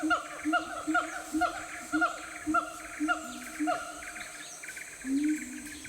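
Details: Sumatran siamang deep in the Aceh forest interior, calling a series of harmonic, hooting notes repeated about twice a second, each slightly bent in pitch, ending with a longer rising-falling note, over a steady insect hum.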